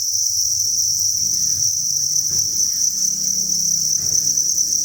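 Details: Crickets chirping en masse at a cricket farm breeding facility, an unbroken shrill buzzing chorus with low rumbling background noise and a faint hum underneath.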